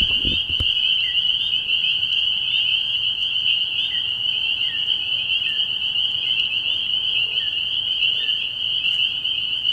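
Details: Early-year night at a frog pond full of spring peepers. Loud shrill chorus of overlapping high peeps forms a constant ring, with a brief low knock at the very start.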